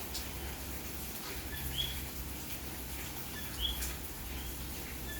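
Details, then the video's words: Common coquí calling on a rainy May night in Santurce, San Juan, Puerto Rico: two short, high, rising chirps about two seconds apart over steady rain hiss and low rumble. "Noche de lluvia y coqui en Puerto Rico"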